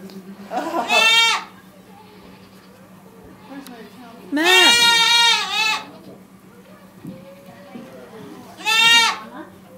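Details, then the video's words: A baby goat yelling: three loud, shaky, harmonic bleats spaced a few seconds apart, with a low steady hum between them. "Yelling baby goat"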